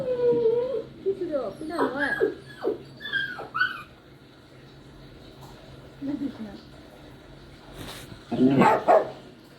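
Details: Poodle. A poodle puppy whimpers and cries, its thin, tonal whines sliding up and down in short, broken phrases. After a quieter stretch, a louder, rougher yelp closes the sequence.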